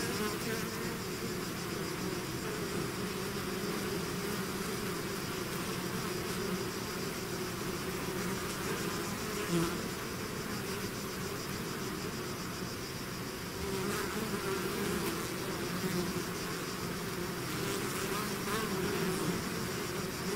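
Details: Natural buzzing of a bee swarm emerging from its hive: an even, dense drone of many wings lasting throughout, with occasional nearer bees rising briefly above the humming mass.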